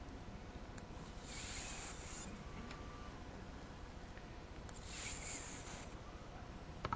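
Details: Seven-year-old pet cat snoring while fast asleep and very relaxed; two hushed, airy breaths roughly three and a half seconds apart, each rising and falling gently, with a faint click near the end.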